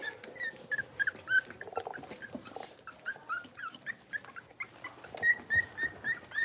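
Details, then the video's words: Blenheim Cavalier King Charles Spaniel puppies, a litter of five, at play in a home puppy pen: fairly soft, high-pitched yaps and squeals repeating quickly and unevenly over a low, busy background of scuffling. "Cavalier Puppies Livestream: Playing, Barking, and Learning"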